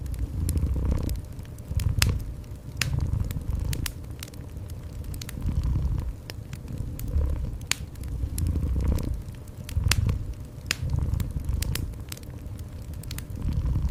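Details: Cat purring gently beside a cozy indoor fireplace: a low rumbling purr swelling and fading in breath-length waves every couple of seconds, overlaid with sharp crackles and pops from the fire.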